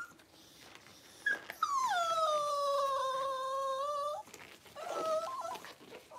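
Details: Cavalier King Charles Spaniel Daisy during labour, delivering six puppies in two hours indoors; one long steady whine drawn out for about two and a half seconds, dipping slightly at the start, followed by a shorter wavering whimper.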